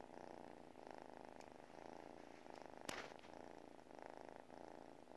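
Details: Cat purring while sleeping, a loud throbbing rumble swelling and easing in regular breaths about every second, with one sharp click midway.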